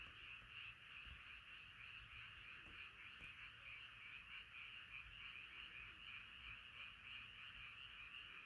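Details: A crowded night chorus of frogs gives an unbroken, buzzy, pulsing wall of croaks from many animals at once, steady in loudness throughout, with only faint ticks in the background.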